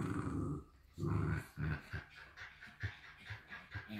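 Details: Shiba Inu puppies from a Dutch breeder, two together: a couple of strong low growl bursts first, then fading into softer short grunts and indoor noise.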